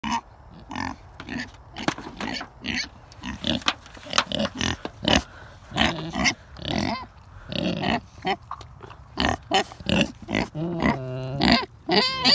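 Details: Kunekune pigs on a farm; a run of short, broadband grunts and snorts in irregular bursts, with a longer squealing, pulsed call near the end.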